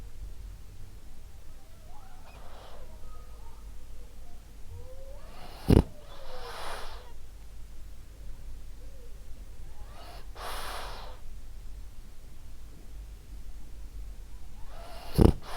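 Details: Sleeping French Bulldog Ariva, a female, breathing softly in her sleep, airy breaths roughly every four seconds broken by two sharp snorting clicks.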